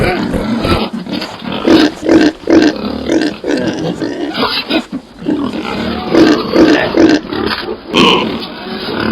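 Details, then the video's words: Pig giving a run of rough, throaty grunts and short squealing oinks, bunched in bursts of three or four with brief pauses, at a rate of about two per second. "Sonidos de Cerdo"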